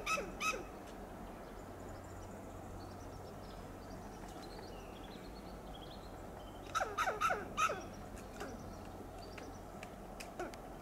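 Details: Scolding western gray squirrel on a coast live oak in Del Monte Forest, California: brief clucking notes at the start, then a tight cluster of four sharp alarm barks midway, with faint high chirps of other birds in between.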